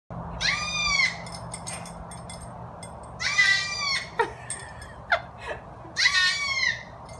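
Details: A baby goat held by a pool bleats three high, wavering times, each about a second long and a few seconds apart, each time a woman pretends to throw it into the water.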